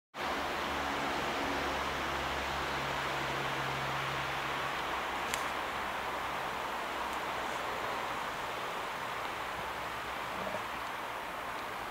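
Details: Steady broadband rushing noise, like wind or handling rustle outdoors, runs throughout with a faint low hum; no animal sound is heard.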